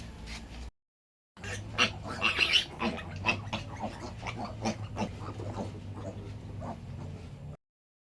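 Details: Domestic pigs on a farm where a sow refuses to nurse and her piglets need a milk supplement; harsh, high squeals cluster in bursts over steady low grunting, after a brief silent break near the start.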